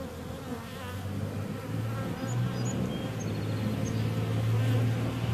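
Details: Bees humming in a steady low drone with stacked harmonic bands, one deep tone swelling louder in the second half; a few faint high chirps flicker briefly in the background.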